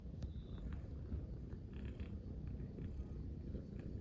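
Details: Munchkin kittens relaxing together in a ball-shaped bed, purring: a steady low rumbling drone throughout, with a few faint soft clicks and rustles above it.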